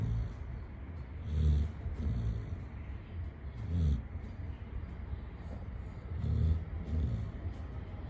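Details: Chitti the Labrador Retriever snoring in sleep, with low, gravelly snores in pairs roughly every two and a half seconds and quiet breathing between, set against a faint steady hum.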